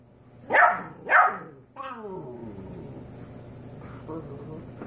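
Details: 13-week-old Golden Retriever mix puppies and 5-week-old Yorkie puppies bark together, giving two sharp, high barks in quick succession, followed by a thin, falling whine.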